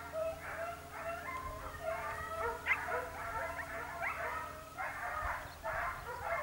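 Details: Segugio Italiano Sofiko trailing hare in Evros, Greece, late October 2023: a dense, jittery chorus of high yelps and yips with fast pitch bends, briefly broken by a sharper squeal, with low hum underneath.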